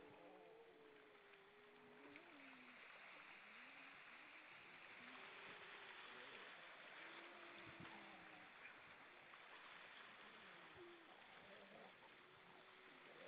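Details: Many grey seals singing on the rocks at Vilsandi, Estonia, on the evening of 22 October 2012 at 18:38: overlapping long, wavering, mid-pitched moans that rise and fall, some bending downward, over a steady rushing hiss of surf.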